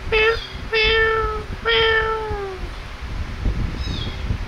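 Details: Kittens playing and feeding let out three clear meows in quick succession, each steady and slightly falling at the end, with a low room murmur beneath.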